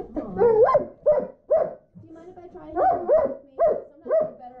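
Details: Frightened German Shepherd, apparently Krypto, breaking down crying over a vet visit: a run of short, rising whimpers and yelps, about six quick bursts in under five seconds, each swooping upward then dropping off.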